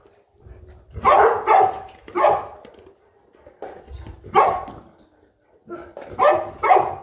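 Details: Boerboel, or African Mastiff, one of a pair kept in Egypt, around morning feeding time: heavy, gruff barks in doubled bursts separated by short pauses, with a faint low grumble beneath.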